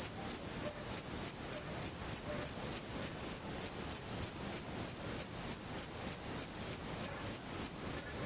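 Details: Male Thyreonotus corsicus bush-cricket singing by stridulation, rubbing its reduced wings together, at Vilella, Sueca. A steady, very high continuous buzz runs throughout, overlaid by short, sharp high-pitched pulses repeating about three to four times per second, with no other clear sounds.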